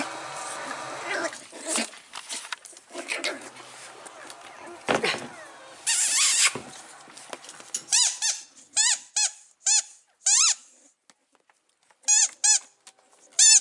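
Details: Six-week-old male Staffordshire Bull Terrier puppy from a 37th litter, filmed 08/08/2019; a woman speaks French at first, then the pup gives a run of high, squeaky, arching yelps, short bursts repeated roughly every half second.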